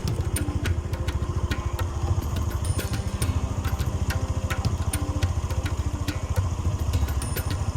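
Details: A steady, throbbing engine idles close by, with scattered sharp clicks and clatter over it and no animal voice.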